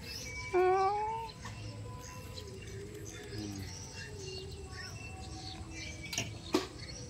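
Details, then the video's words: An unfed, hungry domestic cat meows once, a rising, tonal cry lasting under a second. Quieter room noises and a few soft clicks and knocks follow. "Kucing Ini Ternyata Lapar Tidak Ada Yang Memberinya Makan"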